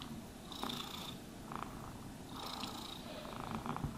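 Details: Cat purring quietly while groomed, the low rumble partly masked by two bright, scratchy brushing passes and some faint rustling.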